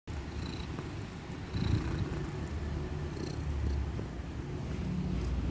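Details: Sleeping kitten from Indonesia snoring loudly: a quiet, steady low rumble with a soft hiss above it and faint higher chirps in the background.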